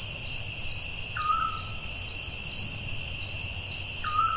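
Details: Night-time forest crickets give a continuous shrill trill with rhythmic pulses about twice per second. A brief whistled note is heard twice.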